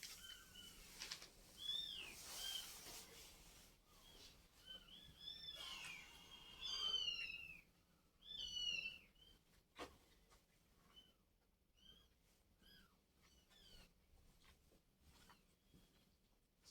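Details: Cats heard after a mother cat moved her kittens; clusters of shrill, arched mews crowd the first half, then thin out to occasional single cries in the quieter second half.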